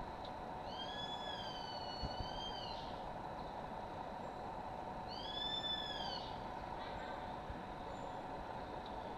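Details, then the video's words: Two sloths fighting at Playa Chiquita, Puerto Viejo, Costa Rica, La Kukula Lodge, February 2011. Two long, high, wavering whistled cries with rich harmonics, about four seconds apart, over a constant buzzing hum. "Pelea de Perezosos - Sloths fighting"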